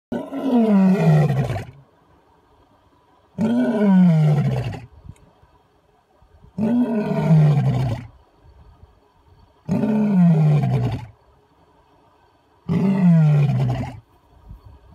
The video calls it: Awesome Lion Roar